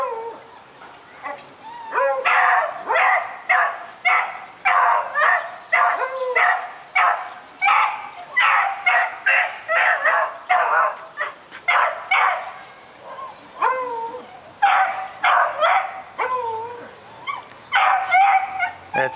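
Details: Daisy the puppy barks nonstop at a rabbit she wants to get, a long run of quick sharp barks about two or three a second, some rising into yelping whines between bursts.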